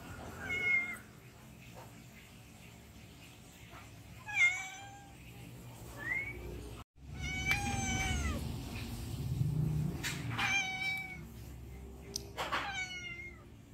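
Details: Hungry domestic cat begging for food, giving short plaintive meows, some rising then falling, scattered irregularly over about fourteen seconds with quiet gaps between, over a low indoor rumble.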